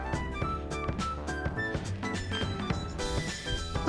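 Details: Upbeat jazz music with a steady drum kit, plucked double bass and piano chords, with no animal sounds heard.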